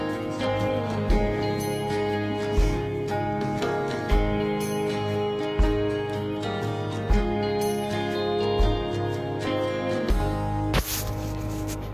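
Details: Steady instrumental music with guitar and tinkling bell-like notes, with soft rhythmic thumps about every one and a half seconds and a sharp burst near the end; no animal voice stands out.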